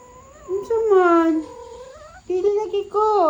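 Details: Persian cat talking with its owner: two drawn-out, harmonic meows, the first wavering and falling over about a second, the second shorter and rising at its end, in a quiet room.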